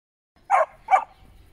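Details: Samoyed playing with another Samoyed and a husky in Greenwich Park: two short, sharp barks about half a second apart, mid-pitched and clear against quiet surroundings.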